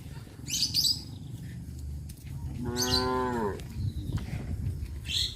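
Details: Village cow on a traditional farm, among cattle roaming the streets, gives one full, harmonic moo lasting about a second, slightly falling at the end; brief high chirps and scratchy sounds are heard before and after over low background rumble.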